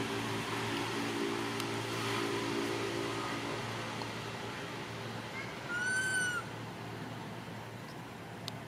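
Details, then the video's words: Baby monkey crying because its mother does not care for it: a single loud, clear whistled cry, gently arching with strong harmonics, rising out of a low droning hum late in the recording. "The most pity poor little monkey crying non stop when mom not care"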